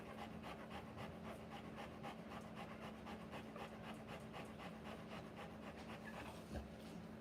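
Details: Rottweiler bitch panting during the live birth of her puppies; quick, soft breathy pulses at about four per second, steady and unbroken for seven seconds over a low indoor hum.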